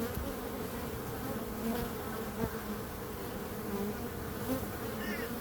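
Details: Bees buzzing in a steady, continuous drone with a strong hum around the low-middle range and faint brief overtones, the dense swarm sound holding even throughout with small swells.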